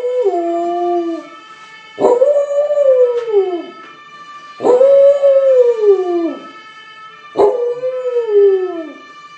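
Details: Corgi howling in repeated drawn-out notes, about every two and a half seconds, each starting with a sharp onset and sliding gradually downward in pitch, with a steady high-pitched tone running underneath throughout.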